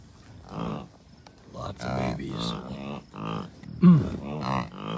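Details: American bison herd with calves at Rocky Mountain Arsenal Wildlife Refuge, Colorado, on June 2, 2022. About seven short, buzzy, harmonic bleats from several animals come in quick succession, some overlapping, over faint wind.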